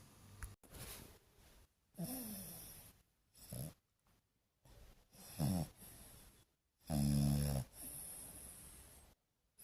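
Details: A French Bulldog, a peaceful dog that sleeps nearly all day, snores in low, rattling bursts, each breath a rough rumble separated by quiet pauses.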